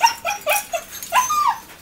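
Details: Rescued dogs at an animal welfare shelter in Coin, Malaga, southern Spain: a quick run of about five high, whining yelps that bend up and down, then a longer, wavering whine, with a man speaking around them.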